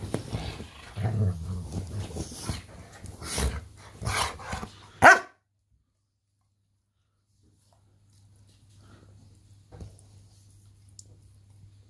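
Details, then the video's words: Sila, a 9-year-old female Rottweiler Presa Canario cross, plays wildly while scratching her bed: low rumbling growls mixed with scratching bursts and short gruff barks for about five seconds, ending in one loud bark, then near silence. "Sila scratching her bed and being a crazy dog!"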